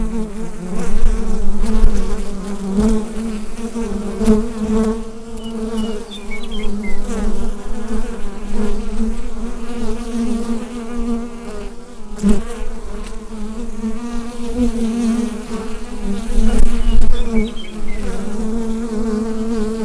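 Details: Honeybee colony buzzing inside the hive, captured with a Rode NT-USB microphone: a dense, steady drone with a strong low hum and a second band above it, swelling and fading in loudness, occasional faint high clicks.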